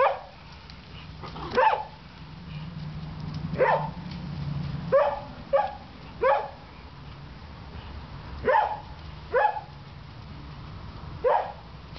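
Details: Pet dogs barking: about nine sharp, clipped barks spaced irregularly across twelve seconds, some in quick pairs, over a low steady hum.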